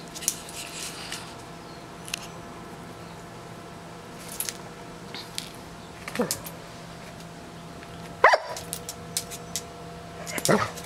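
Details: Doberman named Bonita playing with and pestering a bumblebee, never hurting it; a few short, sharp barks or yelps near the middle and end, the loudest after eight seconds, over a steady low hum with a person calling out to stop.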